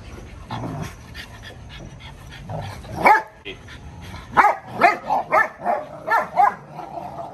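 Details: Dogo Argentino, a female and a male fighting: a run of short, loud barks and yelps in quick succession after a quieter stretch with low growly sounds, with background murmur.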